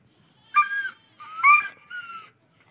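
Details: Injured dog lying by a road while being treated for a large wound, unable to walk; three short whining yelps with strong harmonic tones, each about a third of a second, rising then falling, in quiet surroundings.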